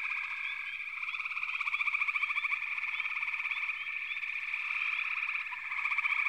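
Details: A frog chorus packs the air with rapid pulsed trills layered into a constant drone, with brief upward chirps sprinkled throughout and a louder surge of calling through the middle.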